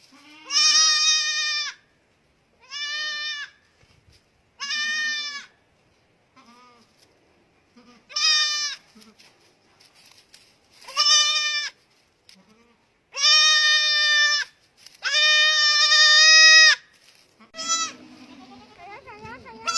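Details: Young goat on a goat farm bleating repeatedly: eight loud, nasal, wavering bleats of varying length, the later ones longer and more drawn out, separated by short pauses, with faint rustling between calls.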